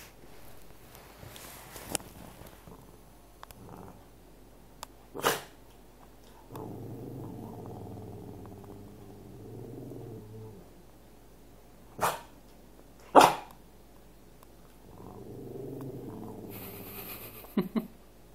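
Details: A Cavalier King Charles Spaniel indoors wanting its owner's dinner: low rumbling growls lasting several seconds, at about 6.5 to 10.5 and 15 to 17.5 seconds, broken by a few sharp single barks.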